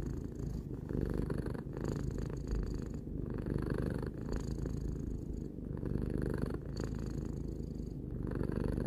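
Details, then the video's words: Close, rhythmic purring of Tarou, a pet cat three years old: a low vibrating drone pulsing with inhale and exhale about every second and a half, quiet room. "Cat purring"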